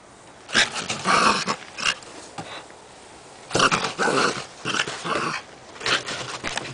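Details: A small West Highland White Terrier on watch-dog duty, letting out harsh, noisy bursts of barking and growling in irregular clusters separated by short pauses.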